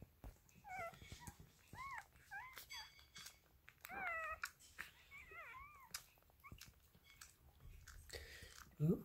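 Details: Newborn Dachshund puppies, one day old, beside their mother Stella, squeal repeatedly in thin, arching, whiny cries that rise and fall, coming in a busy string of overlapping yelps with soft rustling and handling noise between them indoors.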